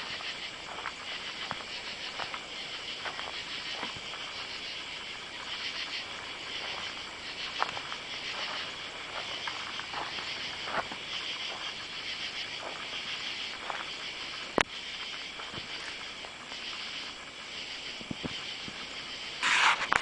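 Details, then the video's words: Katydids calling under oak trees in a side yard and along a driveway on a summer night, July 31. A dense, hissing insect chorus runs without a break and carries faint rhythmic pulses. A sharp click comes near the end, followed by a brief brighter sound. "Katy-dids (insect)"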